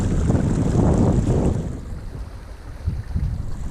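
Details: Wind buffeting the microphone over rushing water, with no animal calls.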